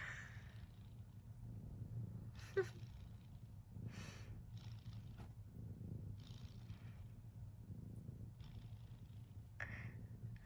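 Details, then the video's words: Quiet, continuous low droning from a snoring cat, broken every second or two by soft airy breaths and a small sharp click. "Snoring Cat"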